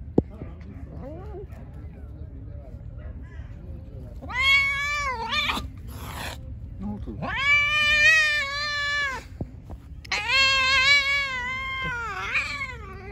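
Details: Pregnant stray cat, hungry and angry, calling near the person feeding it: three long, loud, wavering meows in close succession with brief rustles between them.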